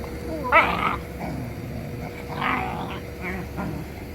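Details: Young Jindo dog Gangseon, kept tied in a yard where it meets people and hears surrounding noise; several short harsh, raspy growling bursts spaced over four seconds, the first loudest, with steady background hum.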